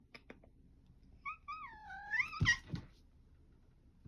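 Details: Female tortoiseshell cat recorded on 11 September 2022 gives a drawn-out meow that slides downward and then lifts at the end, lasting about a second. Soft thumps and rustling are heard before and after.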